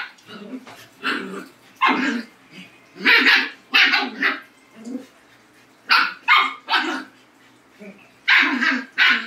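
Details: Dogs from a Labrador and Husky pairing bark loudly indoors, sharp harsh bursts coming in quick irregular runs, about ten in nine seconds, some stretched into yelping, howl-like barks with short pauses between groups.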